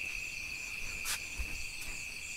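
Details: Crickets calling in pitch-dark night after rain at Diglipur, North Andaman, during Kali Puja: a steady, unbroken high trill runs throughout, with a brief rustling burst near the middle and low background rumble.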